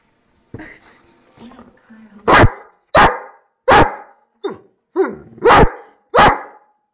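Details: Playing Dobermann: a few soft grunting sounds, then a burst of six loud, abrupt barks spaced roughly half a second apart, with a brief human voice near the start.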